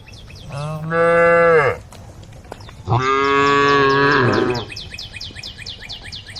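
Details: A tame group of female cows returning to the cowshed; two long, deep moos, each steady and slightly falling at the end, with birds chirping afterward.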